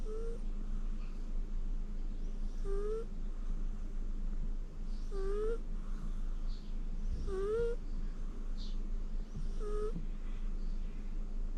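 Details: Shirokoro, a rescued pet cat, snores while napping on the owner's lap indoors, with no background music. Soft squeaky rising 'puu' notes come about every two and a half seconds over a low steady hum.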